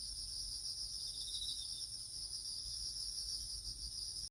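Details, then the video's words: Crickets singing in autumn in a little garden: a steady, piercing high-pitched trill with a thinner, higher companion tone running the whole time, against faint low background noise. "볼륨을 키워서 귀뚜라미 소리를 들어보세요"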